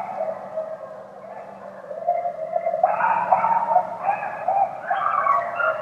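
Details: At dusk in Pennsylvania, several coyotes (Canis latrans) howl, their long, wavering voices rising in and overlapping one another.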